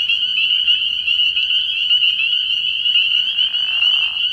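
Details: Early-spring night at a frog pond, where a massed chorus of spring peepers rings out as overlapping high upslurred peeps, joined late in the clip by a short, lower buzzy rasp.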